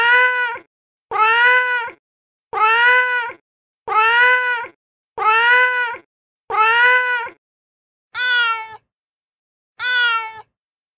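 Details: A street cat brought up to a terrace and fed gives a steady run of eight short meows about every second and a half. The last two are softer. The setting is otherwise quiet.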